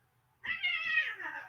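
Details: Two domestic cats fighting in the background indoors: a single drawn-out, harmonic yowl lasting about a second rises sharply, then slides lower toward the end.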